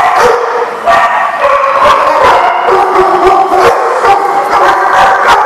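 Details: Several dogs bark continuously in overlapping bursts. The sharp, harmonic barks follow one another rapidly, with yips mixed in, creating a dense, steady chorus with no quiet gaps.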